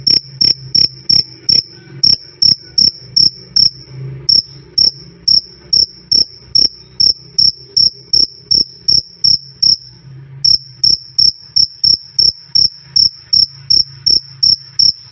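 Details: Repeated shrill cricket chirps, loud and clear, nearly three a second. The high ringing tone drops out briefly around four seconds and again near ten seconds while the clicking pulses carry on. A low hum runs underneath.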